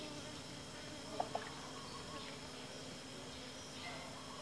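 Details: Asian honey bee (Apis cerana): a steady, droning hum with faint higher bands runs through the clip. Two brief clicks come near the middle.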